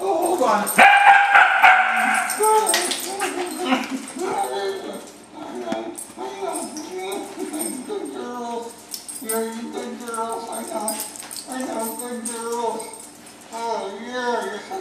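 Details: Wire-haired dachshunds, three of them, go wild as their owner comes home and smother his lips with kisses. A single loud bark comes early, followed by long, rising and falling whining cries. A person talks and background music plays.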